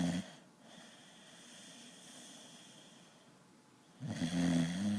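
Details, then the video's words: Biggs, a pet dog, asleep and snoring like a grown man: a low, rumbling, harmonic snore opens the moment, a quiet breathing pause follows, then another deep, buzzy snore swells in the final second. "Biggs Snoring"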